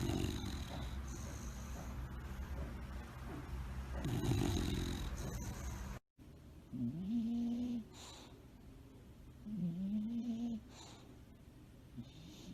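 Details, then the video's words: A tired bulldog napping, snoring loudly while asleep: low, rumbling rasps in the first half, then after a sudden cut a second sleeper gives whistling, whiny snores that rise and dip between deeper breaths. "tierd bulldogs snoring"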